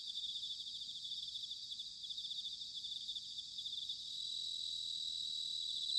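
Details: Several bell crickets chirring together in autumn at Sanuki, Chiba, Japan: unbroken high trill with rapid rhythmic pulsing, steady volume rising slightly toward the end.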